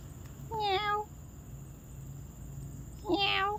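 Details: Pampered pet cat in a home, giving two clear harmonic meows about two and a half seconds apart, each slightly falling in pitch, with quiet between and a faint steady background hum.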